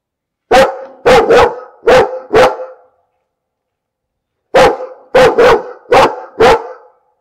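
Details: Loud, repeated dog barking in two bursts of about five barks each, the barks coming roughly every half second, separated by a pause of under two seconds.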